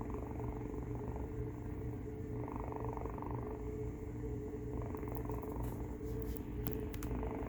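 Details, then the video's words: Rey, a domestic cat, gives a noisy snore-purr while Finn looks on: a continuous low, rough rumble swelling and fading with each breath, over a steady indoor hum, with a few sharp clicks near the end. "Rey does a noisy snore-purr"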